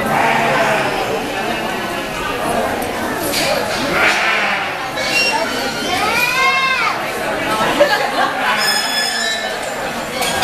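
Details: Angora goats being judged at the Black Sheep Gathering in Eugene, Oregon, on June 22, 2013; a wavering bleat around the middle rises and falls over a steady background of indoor crowd chatter and voices.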